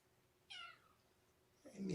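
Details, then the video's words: A short, falling meow from young kittens Mimosa or Champagne indoors during Kougra's visit on 12 January 2018, followed by a low human voice and a rustling noise at the end. "Mew Year's Kittens"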